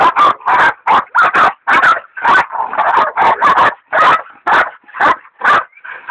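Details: Dixie and Dollie, hunting dogs, bay at a big sow hog, with the leopard dog Dollie still in training. Harsh, rapid barks pile on each other, roughly a dozen in six seconds, broken by short pauses and a drawn-out yelp.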